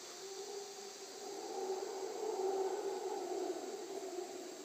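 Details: Howler monkeys in Costa Rica give a deep, drawn-out roaring howl that swells in loudness and then holds steady.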